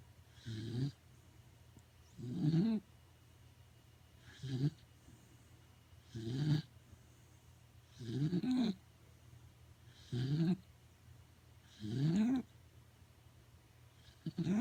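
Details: Sleeping pet Corgi snoring heavily indoors, a run of rough, throaty snores roughly every two seconds, some ending in a rising, whistling squeak, separated by silent pauses.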